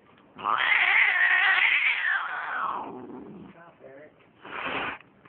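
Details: Cat caterwauling: a long, loud, strained wailing howl lasting over two seconds, followed by quieter grumbling and a shorter rising cry.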